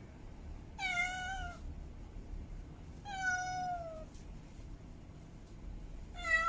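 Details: Domestic female cat in heat meowing to call for a mate: three loud, harmonic, falling wails, each under a second long, spaced about two and a half seconds apart, with faint low background hum.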